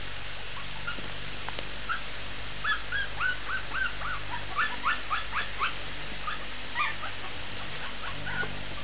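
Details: Shih Tzu puppy howling in a rapid string of short, squeaky whimpers, about four per second, wavering in pitch, with a faint steady hum underneath.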